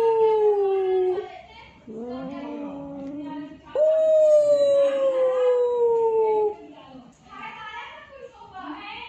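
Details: A long, steady cat yowl from Zurro, a 2-year-old house cat called angry by nature but loving. Two drawn tones each glide gently downward for several seconds, separated by lower, rougher murmuring.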